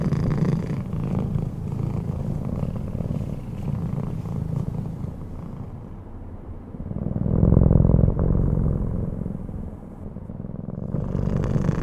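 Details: Bengal cat purring while sleeping peacefully: a steady low rumbling purr throughout, swelling louder around the middle before easing off, with a faint background hum.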